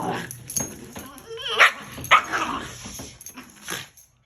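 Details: Dogs play-fighting on a bed give short yips and a wavering whine around the middle, with two sharp bright yelps and scuffling. Human voices are heard throughout.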